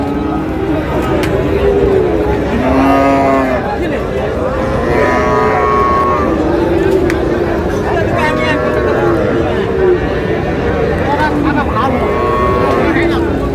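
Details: Cattle lowing at Raniganj livestock market, Dinajpur, where Friesian and cross-breed bull calves and heifers are sold on 6 August: repeated low, bending moos rising and falling, mixed with constant market hubbub and close human voices.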